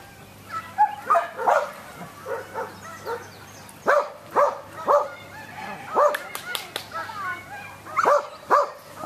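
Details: Samoyed at an AKC sheep herding instinct test on a farm near Berryville, Virginia, June 15, 2013, with no prior herding training or exposure to sheep; short, sharp barks come in quick bursts of two or three, with faint human voices behind.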